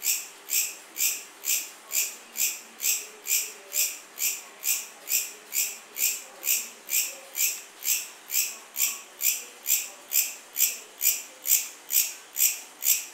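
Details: Cricket. A cricket gives a steady run of shrill, high-pitched chirps, each pulse evenly spaced at roughly two per second. The rhythm stays remarkably regular throughout, with little else heard beyond a faint background hiss.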